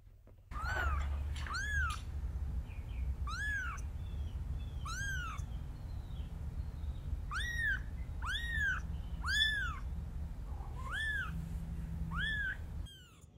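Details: Mother cat carrying and rescuing her kittens, a tabby and a ginger among them. About ten high, arched mews with bright overtones ring out at irregular gaps through the stretch, over a steady low hum indoors.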